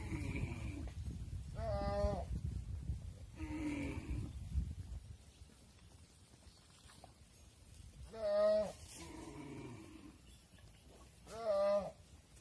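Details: Mother cows entering a barn while their calves remain outside on a farm; five harmonic moos, three close together at first, then two louder, sharper bawls spaced about three seconds apart, over a low background rumble.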